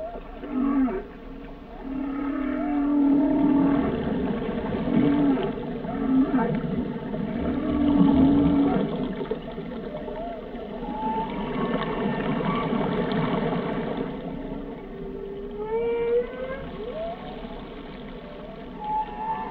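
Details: Whale song, long and layered: sustained wavering low moans in the opening seconds, then a dense mix of rising whoops, squeals and upward-curving whistles over a continuous murmur.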